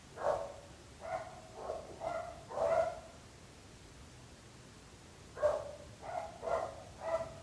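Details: Barking dogs disturbing neighbours: a cluster of four loud, rough barks, a silent pause of over two seconds, then another rhythmic run of four barks.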